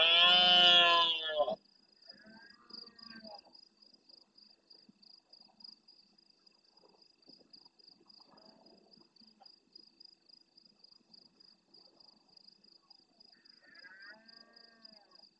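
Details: Rutting red deer stag at night in the El Rocío marsh of Doñana, Spain, near the camera: a loud, grating roar opens, then faint roars of farther stags answer amid the rhythmic trill of crickets.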